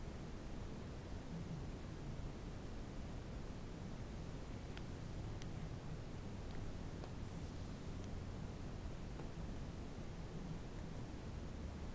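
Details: Steady hiss of background noise with a few faint scattered clicks; no barking or other animal sounds.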